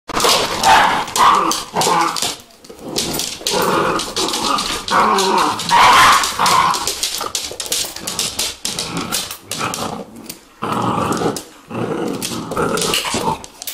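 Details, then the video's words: Vizsla puppies yapping and barking in dense, irregular bursts, overlapping high-pitched yips running almost continuously with brief gaps near the third, eighth and eleventh seconds. "Vizsla puppies"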